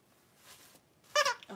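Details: Blenheim Cavalier King Charles Spaniel puppies, three weeks old, wrestling indoors; after a quiet start comes one sharp high yelp with a bright harmonic stack, followed by a shorter lower whine.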